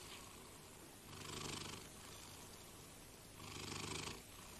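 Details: Domestic cat purring, a low rumbling drone with two louder, breathier surges that rise and fall with each breath.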